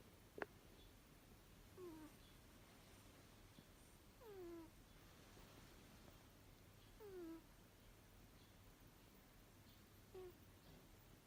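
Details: Asleep indoors, Runrun the six-year-old Abyssinian gives quiet nasal snores, each a short downward-sliding whistle with overtones, recurring roughly every two and a half to three seconds, with a faint click near the start and a low background hum.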